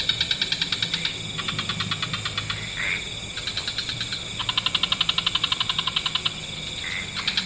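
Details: Frogs of several species calling in the wetlands as evening falls: rapid rattling trills in stacked bands, broken by brief gaps, with two short rising chirps cutting through the pulsing chorus.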